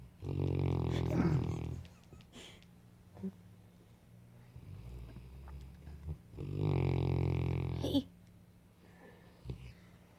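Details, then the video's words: Saint Bernard asleep indoors, snoring with two long, deep, rumbling breaths about six seconds apart, each lasting over a second, with quiet breathing in between. "Snoring saint bernard"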